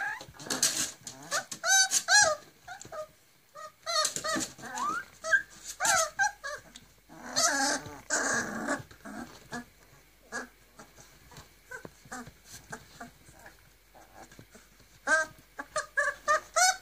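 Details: Griffon puppies, forty days old, three males and four females, in Cairo, Egypt, making bursts of squeaky whines, yelps and small growls, loud clusters separated by quieter pauses, indoors, with faint voices.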